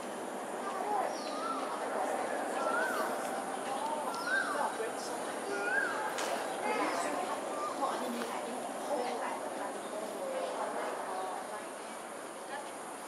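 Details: Smooth-coated otters, a wild nomadic group in south west Singapore's suburbs, evening of 1 February 2023: a busy stream of brief rising and falling whistles and squeaky chirps amid scattered clicks and a constant low roar.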